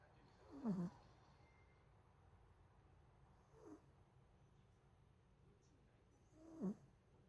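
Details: Pet Pomeranian dog snoring while asleep on top of a person at home: three short, whistling snores roughly every three seconds, the first and last strongest, in a quiet room.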